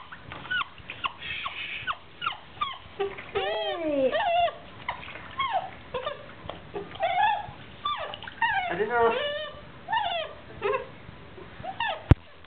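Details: A 9-week-old Basset Hound puppy being given a bath whines and whimpers in a steady run of high, sliding cries.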